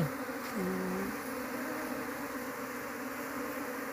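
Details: Asian honey bee colony being searched for its queen before being taken home for beekeeping: a dense, steady droning hum with layered low tones that holds even throughout, with a brief sliding tone near the start.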